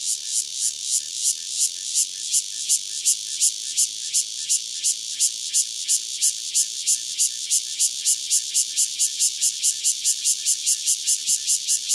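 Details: Cicada Cryptotympana takasagona, one insect near Dona village in KaoHsiung County, delivers a long, loud, rasping pulsed song whose throbbing beats grow quicker and denser as it goes on, with two faint clicks.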